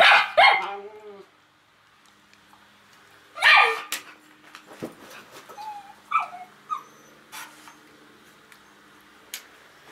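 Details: Fox terrier and Schnauzer on a patio, excited as their owner arrives home from work; two loud high yelping barks open, another burst near 3.5 seconds, then softer scattered yips and whines.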